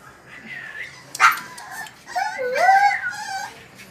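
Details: French bulldog whining with drawn-out, wavering tonal cries that rise and fall, one sharp yelp near the start, faint voices in the background.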